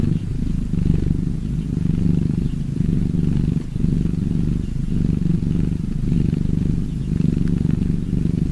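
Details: Purring cat, a continuous deep buzzing rumble with a gentle rise and fall in loudness, pulsing about once per second throughout.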